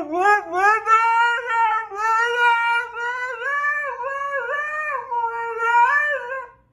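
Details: A female Siberian Husky "screams" and "sings", giving a long, wavering vocal howl that slides up and down in pitch.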